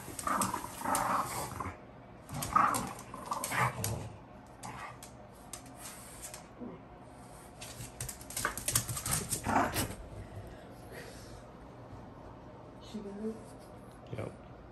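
French Bulldogs growl and snort in rough bursts while tussling over a toy, with a voice talking over them.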